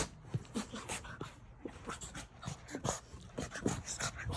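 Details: Blue French Bulldog puppy, a young male, indoors, snuffling and panting in quick, uneven huffs with brief whimpering squeaks, short breathy bursts following one another every fraction of a second, with soft rustling in the background.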